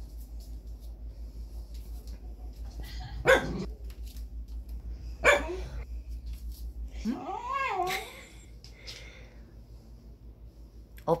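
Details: Female Welsh Corgi on a rainy day, refusing to go for a walk and sulking after being put in a raincoat: two sharp single barks two seconds apart, then a wavering grumbling whine, over a steady low throbbing background.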